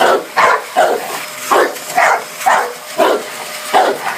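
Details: Dogue de Bordeaux confronting a vacuum cleaner, giving rough barks spaced roughly half a second apart, eight or so in a row, over constant broadband machine noise.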